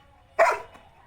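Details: Labrador named Bruno outdoors in the evening giving a single loud bark, a sharp burst with strong harmonics rising briefly, then fading, with quiet background between.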